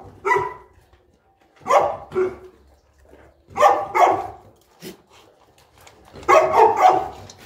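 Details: At morning feeding in Egypt, Boerboel pair Enzo and Diva: sharp, coarse single and double barks spaced a second or two apart, ending in a longer clustered volley.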